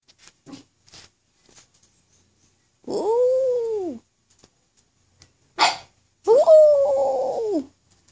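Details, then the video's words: A black pug howling with some encouragement, giving two drawn-out, arched tonal howls of about a second each that rise then fall, separated by short clicks and a brief sharp noise. "Pug Howl"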